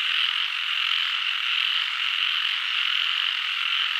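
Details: Chorus of many frogs forming a dense, steady wall of high trilling calls with no pauses and no other sounds.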